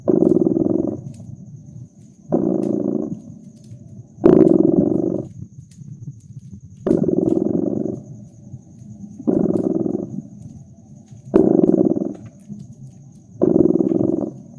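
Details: Fireside cat purr in cozy winter ambience: seven rough, throbbing low bursts, each near a second long, repeating about every two seconds, with occasional crisp crackles from the fireplace and a faint steady high tone.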